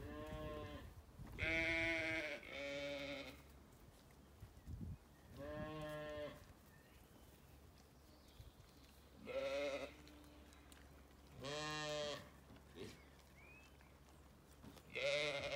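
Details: Bleating from ewes and lambs grazing an orchard on a regenerative farm in County Kilkenny, Ireland, on a sunny day; repeated rich, quavering bleats roughly every two seconds from several animals, light birdsong and a steady low hum underneath.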